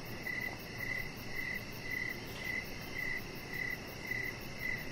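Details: Crickets chirping outdoors in the evening beside a deck where a chihuahua puppy named Rocket lies; short, bright, even chirps repeat almost twice a second over a steady soft hiss.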